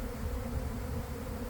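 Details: Honey bee swarm pouring from a garden hive around one in the afternoon after a week of cold, damp weather; a steady low droning hum with a faint higher overtone, mixed with rumbling wind noise.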